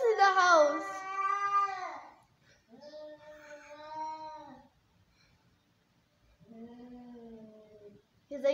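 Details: Domestic cats in a fight give long, wavering, drawn-out angry caterwauling yowls. One cat is really scared, with its hair standing up.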